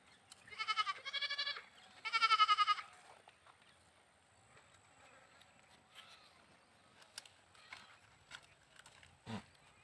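A goat gives three wavering, nasal bleats in quick succession, then quiet.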